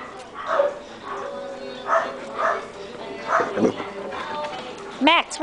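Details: German Shepherds playing at Coastal German Shepherd Rescue, a group of adoptable dogs together; short harmonic barks recur every second or so beneath a woman's friendly chatter, ending with a sharp, high rising yelp.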